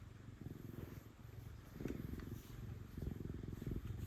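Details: Affectionate female cat purring while being petted: a low, steady rumbling purr that swells louder in places, with soft rustling and brushing sounds from the petting.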